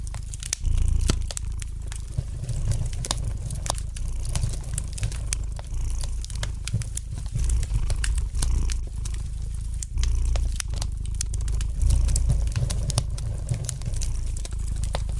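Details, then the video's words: Soft, continuous low purr of a domestic cat, rumbling and pulsing gently, set against dense light crackling and frequent small snaps from a fire in the fireplace. "Relax to the gentle purring of the cat"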